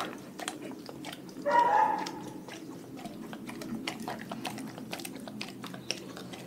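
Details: A dog from a pack on a raw food diet chews steadily with soft, repeated crunches, and a brief tonal whine-like burst rises above the chewing early on.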